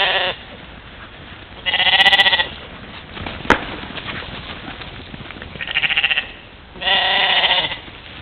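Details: Trail camera at a waterhole in Czempiń forestry district, Wielkopolska, Poland, 13 July 2018, records a European mouflon herd playing in the morning; four strong, rich-harmonic bleats of varying length, a sharp click between them.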